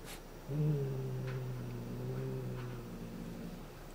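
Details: A Somali cat named Shushu growls a threatening, low 'uuu' while guarding its cat teaser toy. One long, steady rumble lasts about three seconds, then gradually softens. A faint tap is heard at the start.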